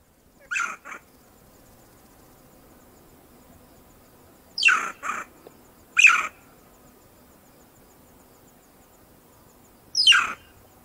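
A banded mongoose gives sharp, squeaky rising calls in brief bursts, several seconds apart.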